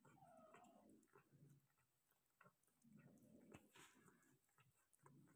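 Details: Persian cat giving birth to five kittens indoors: a short, falling, tonal mew opens the recording, followed by soft rustling, licking-like clicks and low mumbled sounds, with a brief noisy burst near the four-second mark.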